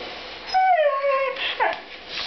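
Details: A pet Siberian Husky answers its owner during a back-and-forth, giving a short falling whine-howl, then a quick rising squeak, in a small indoor room.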